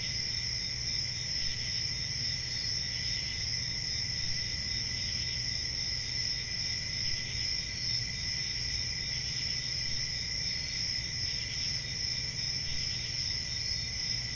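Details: Night-time crickets in summer forest ambience, their bright rapid chirping merging into an unbroken high ringing drone with a quieter lower trill, steady from start to finish, low background rumble underneath.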